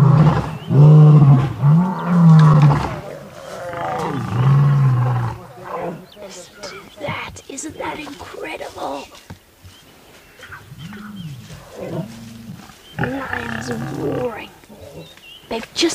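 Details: Wild lions in a roaring fight between three males and a pride with cubs on an August sunrise safari: deep growling roars at first, later spaced moaning calls, with a guide talking over the middle section.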